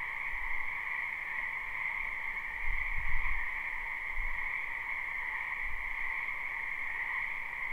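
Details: Frogs croaking in a spring wetland, recorded live: a dense, unbroken chorus forming two steady ringing bands, one mid-pitched and one higher, with a few low thumps of wind or handling noise near the middle.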